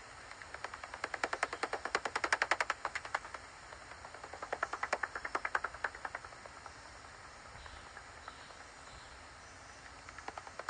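A pipistrelle's echolocation, heard through a bat detector as fast dry clicks in bursts over soft rain hiss.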